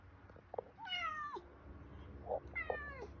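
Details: Male pet cat meowing for attention in the morning while its owner stays on the phone; two long, drawn-out meows with rich harmonics, first rising then falling, the second sliding downward, over faint room noise.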